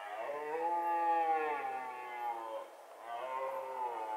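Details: Young red deer stag roaring in a forest during the 2023 rut: two long, hoarse, strongly harmonic roars, the first swelling and fading over about two and a half seconds, the second starting after a short pause.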